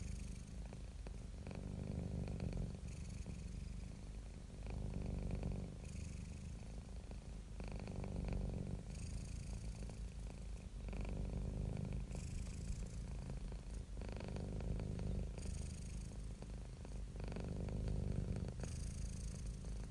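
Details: Domestic cat purring, described as happy and relaxed: a continuous low rumbling purr with steady rhythmic pulses, swelling and easing in loudness with each breath, some faint higher hiss-like breath noise.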